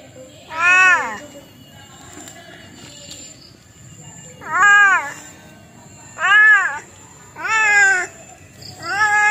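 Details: Domestic cat meowing repeatedly, five short arched meows rising then falling, spaced irregularly over nine seconds, with a faint steady high-pitched whine underneath.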